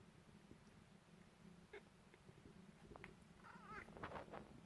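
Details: A pet cat seeing birds outside, making hunting noises: a low steady hum with scattered soft clicks, then a cluster of short, wavering, trilled chirps near the end, rising and falling quickly.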